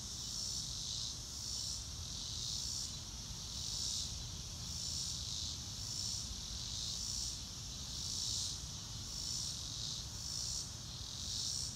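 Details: Crickets sounding in real time, no music: a bright, shrill trilling band pulsing steadily about once a second, with a faint continuous low rumble underneath.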